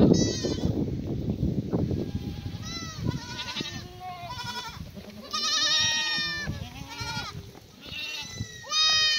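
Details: Morning chorus of black goats at a free-range farm in Sangdong-myeon, Gimhae, Korea, fed damp strawberry-plant cuttings after rain; many quavering, nasal bleats overlap in quick succession, with thumping and rustling early on.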